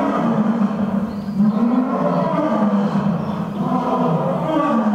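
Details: A roaring contest between the lions Earth and Silk at Toyohashi Zoo's Nonhoi Park in Japan; one continuous, loud, low droning roar with rich layered overtones, wavering slightly in pitch without pause.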